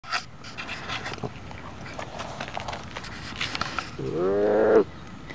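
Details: A two-month-old female Golden Bengal tiger cub, not a pet, rests in a sand hole in the shade on a warm summer day and wants attention. After soft rustles and clicks comes one loud, drawn-out, harmonic cry that rises slightly.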